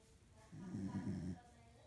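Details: One short, low, rough snore from a female corgi while she sleeps indoors. It is a single rasping breath lasting under a second, with quiet room tone before and after.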